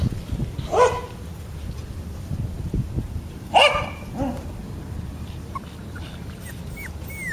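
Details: Male Border Collie puppy, 27 days old and black and white, from a Hyogo breeder in Japan, lets out two sharp yelps nearly three seconds apart, then a soft whimper and faint squeaky chirps near the end.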